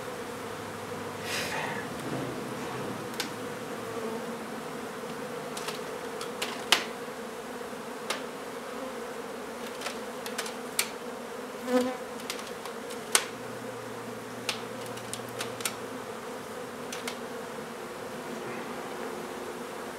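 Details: Massed honey bees buzz steadily during removal of their hive from an old home in Donna, Texas; the low drone runs the whole time beneath scattered clicks, scrapes and knocks from handling tools.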